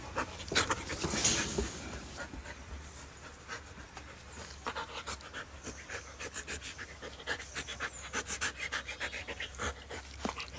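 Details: Pet Siberian Husky dog in Kerala, panting in quick, breathy bursts about three times a second for the whole stretch. A steady low hum runs underneath.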